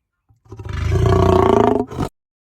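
A lion gives a single deep, rasping roar that swells and holds for over a second.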